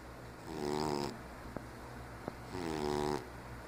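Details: Sleeping 15-year-old diabetic cat named Ralph gives two buzzy, fluttering snores about two seconds apart, with faint ticks between them.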